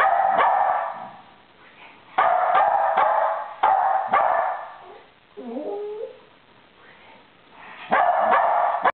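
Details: Pet West Highland White Terriers sing together, with another dog joining in: bursts of loud, harsh barking repeat in clusters, and a short wavering howl rises and falls in the middle, in a quiet indoor setting.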